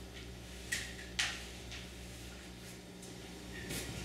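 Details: A few sharp knocks like a cupboard or drawer shutting over a low electrical hum in a small room, with no animal voice.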